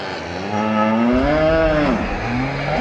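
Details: Water buffalo cow in a market calling to companions, a rising then falling drawn-out moo about one and a half seconds long, over engine-like rumbling noise.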